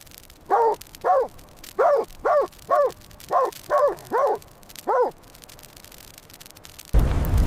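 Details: Puppies playing alongside baby rabbits on grass outdoors; nine quick, chirpy barks repeated roughly every half second, ending with a loud burst of broadband noise.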